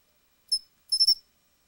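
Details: Pine cricket (Matsumushi) song: a single sharp high chirp, then after a short pause a quick run of three bright pulsed notes, in silent surroundings.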